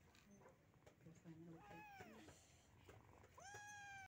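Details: Two rescued Persian kittens give rising-then-falling mews, one around the middle and a louder, clearer one near the end, over quiet speech and background noise.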